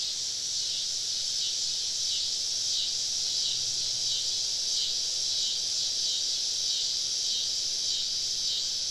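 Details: Southern woodland cicadas on a summer evening, recorded while camping among them: continuous high sizzling drone with gentle waves in intensity and a faint low tone.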